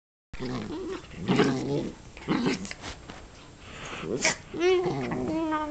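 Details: Dachshunds fighting aggressively, growling and snarling in bursts around one and two and a half seconds, then a rising, wavering whine near the end; a person's voice is heard in between.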